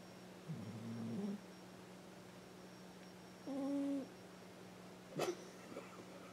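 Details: A sleeping, dreaming house cat named Coco, adopted as an orphan from a shelter and almost ten, gives a low groaning snore, then a held nasal tone, then a sharp click; a faint constant hum runs beneath.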